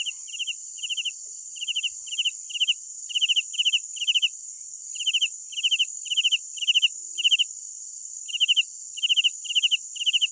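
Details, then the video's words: A loud nighttime cricket repeats pulsed chirps about twice a second, each a tight cluster of four notes, with a brief pause near the end, above a constant high buzzing chorus. "Sounds of Night Crickets"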